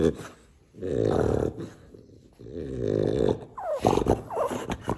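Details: A French Bulldog making long, throaty grumbles in two sustained bursts, followed by a quick series of higher, whiny yelps, in a quiet indoor setting.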